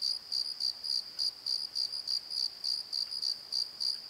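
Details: Crickets calling at night in a valley bottom by a tree: steady high chirps pulsing about three times a second, each a short trilled burst, over a constant ringing background chorus.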